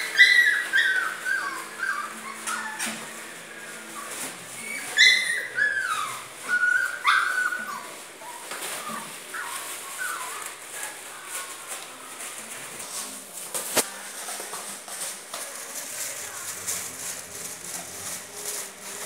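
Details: A 45-day-old Cocker Spaniel puppy at play gives high, squeaky whines and yips in quick, uneven bursts; Cocker Spaniel.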